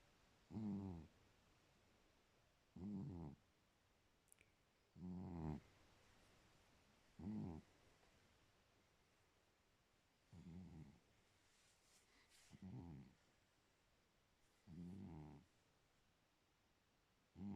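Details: Pet cat asleep and snoring steadily: eight short, low, raspy breaths repeating about every two seconds, each under a second long, with near silence between them indoors.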